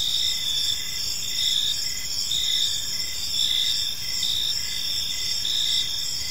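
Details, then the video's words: Evening park chorus of crickets: layered high-pitched ringing trills, some continuous and some broken into short repeated chirps at an even pace, with soft low rumble beneath. "Park Serenade: Cricket Sounds in a Peaceful Park | Evening Ambience"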